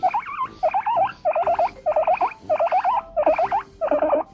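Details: Pet guinea pig, a seven-year-old female under treatment for an ovarian tumour, calling while being brushed with a natural-bristle brush indoors: loud squealing wheeks in tight bursts of rising-falling notes, about seven clusters in four seconds.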